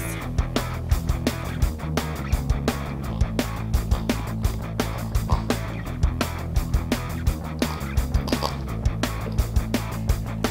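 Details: Lively plucked-string music with a steady percussive beat plays throughout, with no animal voice heard.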